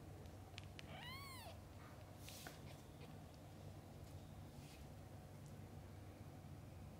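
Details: Domestic cat with mother and kittens, newborn to eyes-opening age: a single high arched mew with stacked harmonics near one second, then faint clicks and rustling over a steady low hum.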